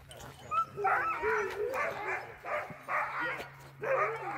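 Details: Friendly sled dogs in Alaska, trained to be sociable, greet a visitor with five short harmonic yelping bursts about every second, some rising and falling, with faint human voices in the background.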